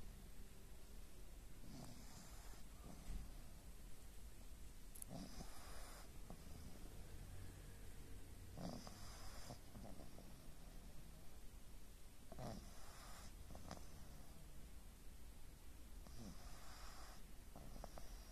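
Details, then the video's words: Pug named Aya asleep, snoring softly: breathy, noisy rasping bursts of about a second, recurring every one to three seconds across the recording, low and quiet, with a faint room hiss behind. "Храпят ли мопсы?! / Как спят эти милые собачки / Сон Айи"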